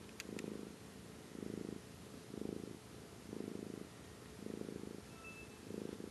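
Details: Pet cat purring: low, rumbling bursts in a steady rhythm, six of them, each lasting about half a second and coming roughly once a second, over a soft constant hiss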